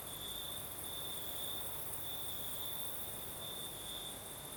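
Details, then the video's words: Night crickets in the south of Crimea, singing through a sea breeze: continuous high-pitched trills that swell and fade in short runs, over a constant airy hiss of wind and a thin very high insect shimmer. "Сверчки поют."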